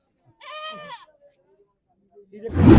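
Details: Male goat at the Dhanaula goat market giving a single wavering, nasal bleat of about half a second, then near silence with faint murmurs before a sudden loud crackling burst of noise at the end.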